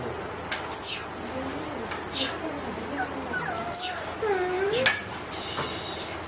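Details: Several thin, high kitten mews from a 2-month-old silver short-legged Scottish Fold kitten, rising then falling, with one longer drawn-out meow near the end; a steady high electronic whine runs underneath.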